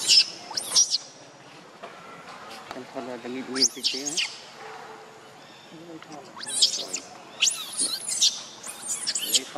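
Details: Monkey, named Lucie, said to be jealous of Rainbow; shrill, high-pitched screeching squeals come in short bursts at the start, near four seconds and repeatedly toward the end, with human voices talking between them.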